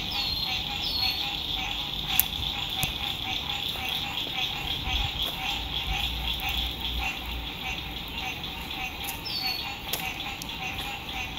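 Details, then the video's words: Frogs singing at sunset beside a lake at a lakeside RV campsite in spring 2021: a dense, steady chorus of rapid pulsed trills with a high band and a lower buzzing layer, plus scattered high chirps and faint background road noise. "Sunset Frog Songs"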